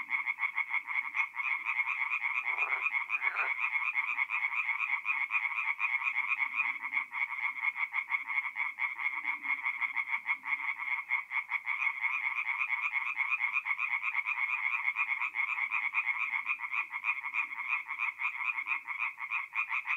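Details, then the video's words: Tree frogs singing at night at a forest pond in north-east Italy in mid-April; a dense, continuous chorus of rapid pulsed croaks, bright and nasal, overlapping voices forming a steady rattling wall of sound with a few faint low rustles. "relaxing forest pond by night with singing tree frogs"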